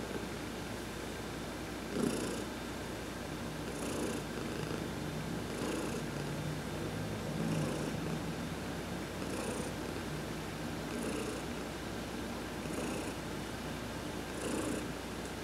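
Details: Heidi, a pet cat, purring while being massaged during a sun bath on November 19, 2020; a steady low rumbling purr runs throughout, with soft breathy bursts recurring roughly every one and a half to two seconds in a quiet room.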